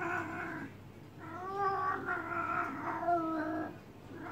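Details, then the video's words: House cat in heat, massaged, lets out a loud, rough, wavering yowl that runs almost continuously over a few seconds, pitch wobbling up and down. "KIZGINLIĞI GELEN KEDİ YE MASAJ YAPMAK"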